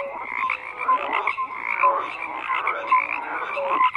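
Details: Overlapping frog croaks fill a continuous chorus; short clear notes repeat roughly every second over a bed of pulsed, rattling calls from many animals.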